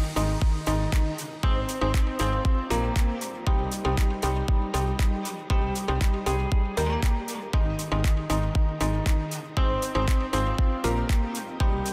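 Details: Driving electronic music with strings over a regular pulsing beat, and no animal voice anywhere.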